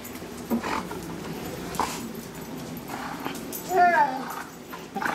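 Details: Lady Bear, a pet dog, excitedly greeting her owner returning home. Breathy sounds come first, then a short wavering whine that rises and falls near the end, with quiet indoor background.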